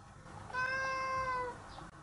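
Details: Domestic cat, a formerly stray cat now kept indoors, in a cheerful, playful mood at home, gives one clear drawn-out meow lasting about one second, steady and slightly falling at the end, in a quiet room.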